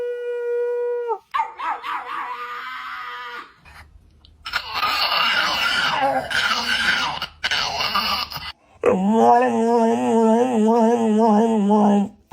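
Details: A dog making strange noises: a short steady howl, then harsh, noisy vocalizing with what may be people screaming, ending in a wavering, warbling howl that rises and falls rapidly for several seconds.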